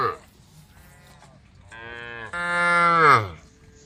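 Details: Tame female cows in a group calling the herd: a soft low call at the start, a quieter hum, then a long rich moo that rises in strength and falls away in pitch near the end.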